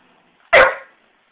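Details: Pet dog making silly noises, giving a single loud, rough bark that fades quickly, with faint background hum and no other sounds.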